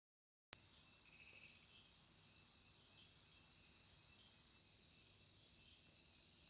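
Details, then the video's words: Crickets in the Nilgiris, India. After half a second of silence, a steady, very high, shrill trill begins and runs unbroken to the end. It is made of rapid, even pulses, about four per second. "Sound Of Crickets"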